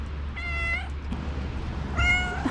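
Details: Loud meows from a female stray calico cat outdoors after snowfall at feeding time, seemingly trying to communicate; two steady, even-pitched meows about a second and a half apart over a constant low rumble.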